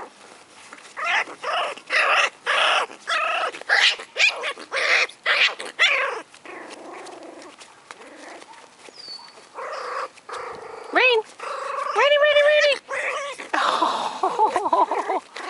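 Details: Four-week-old American Hairless Terrier puppies from the litter of Rainy and Rudy yelp and squeal in rapid, uneven bursts, about two a second, before rising, wavering whining cries take over near the end.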